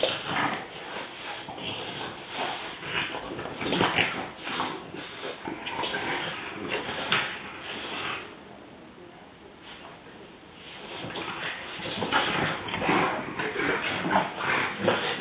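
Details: Several French Bulldogs, including Bundy, in a rough indoor play session: harsh, broadband snorting growls and grunts come in dense irregular bursts, easing into a quieter lull midway before rising again.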